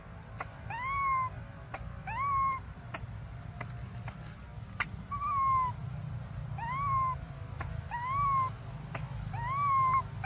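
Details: Crying for milk, baby monkey Briar repeats a clear whining call that rises then dips, roughly every one and a half seconds. Faint taps sound between calls over a steady low hum.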